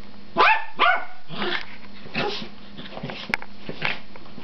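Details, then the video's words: Domestic dogs in a play fight: two sharp barks in quick succession, then rougher, softer growling yaps and scuffling sounds over a constant low background hum. "dog fight"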